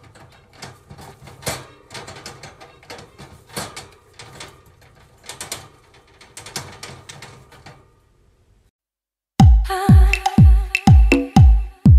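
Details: Irregular soft tapping and knocking sounds fade into silence, then loud rhythmic music with punchy beats begins abruptly, with no animal voice.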